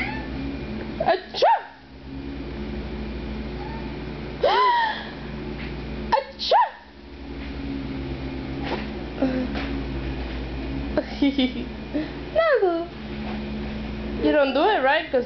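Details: A pet domestic cat cries whenever its owner sneezes. Several rising-then-falling wailing meows are heard at irregular intervals, mixed with loud human sneezes, a woman talking, and rustling from handling.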